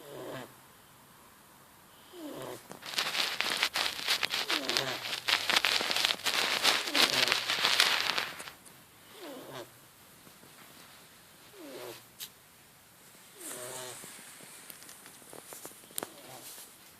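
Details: Marley the cat, asleep, snoring: soft, wheezy, faintly tonal breaths recur in short bursts every couple of seconds, interrupted early on by several seconds of loud crackly rustling and clicks.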